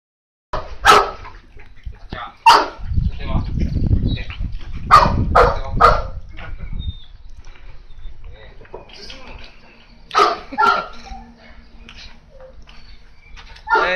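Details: Tosa Inu dogs at a kennel in Japan bark in sharp, loud bursts at irregular intervals, some doubled, with voices talking and a low rumbling noise between barks.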